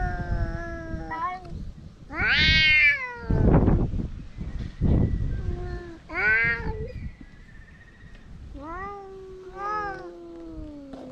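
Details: Quarrelling stray cats mix a long low moan with sharp, high, bending yowls and a couple of loud thumps or scuffles midway, the calls tapering into a drawn-out, falling growl-like wail.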